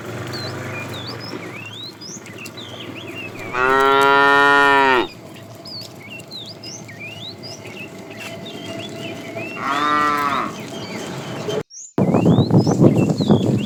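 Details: Cows and calves herded in the morning while roaming for food; two moos about six seconds apart, the first long and strong, the second shorter and softer, amid steady bird chirping and a burst of rustling at the end.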